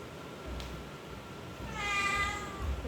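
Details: Pet domestic cat giving a single drawn-out meow in the second half, harmonic and slightly wavering, after a quiet stretch with a soft click and low room hum.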